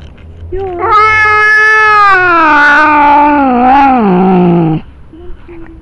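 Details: Angry domestic cat, accused of pooping on the lawn, gives one long loud yowl lasting about four seconds, steady and then wavering and sliding downward at the end, with faint background noise.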